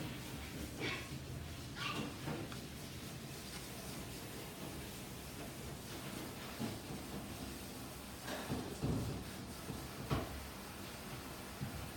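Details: A room with muffled knocks, door- or drawer-like thumps and faint murmurs over a steady background hiss, with no animal call heard.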